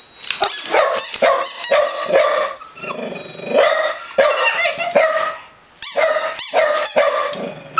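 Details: Dogs barking: sharp, repeated barks in quick bursts, several per second at times, with a brief lull near the end before the barking resumes.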